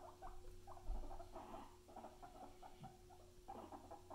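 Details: Short, repeated mid-pitched squeaks and chirps in loose clusters come from pet guinea pigs Luna and Chip, with a soft thump early on and a faint steady hum beneath.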